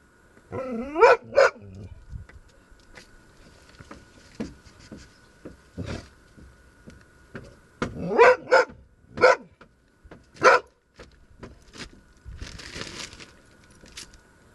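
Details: Panu, a dog, barks at a marten hiding nearby: a short whine, then sharp barks in pairs and singles spaced a few seconds apart, with a steady hum and rustling between them.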